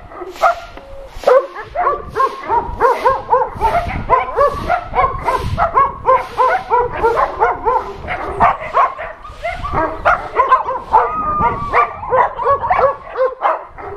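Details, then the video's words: Adoption center dogs in a shelter calling out to a television crew, many voices barking in a dense, continuous chorus of short harmonic barks and yelps, rapid and overlapping throughout. "Dogs from the Adoption Center talking with NRK TV crew"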